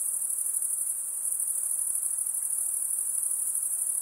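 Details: Shrill insect trill, very high and steady, with a slight rapid pulsing texture, heard beside a calm lake with soft hiss below.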